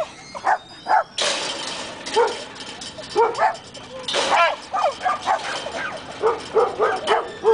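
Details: Several dogs at a dog park in the morning, barking excitedly as they recognise a familiar man arriving with cookies; repeated short yappy barks in quick bursts, one hoarse seal-like barker among them, with a voice calling out and background music.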